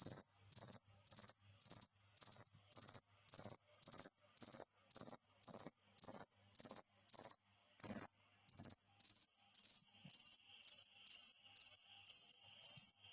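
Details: A cricket chirps steadily: high-pitched, buzzy pulses come in an even rhythm of nearly two per second, with a short break midway and faint soft clicks underneath.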